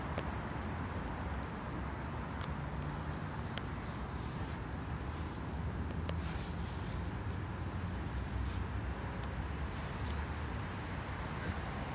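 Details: Constant low traffic rumble outdoors, with faint scattered clicks and a high steady tone.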